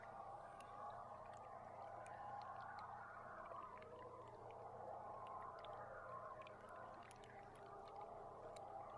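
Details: Belugas recorded underwater from a live boat camera on July 16; faint wavering whistles and scattered clicks sit within a steady wash of water and engine rumble.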